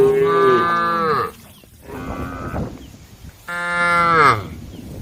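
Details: A group of tame female cows on a road give long, harmonic-rich moos that sag downward in pitch. Two loud moos frame a quieter, shorter one from another cow.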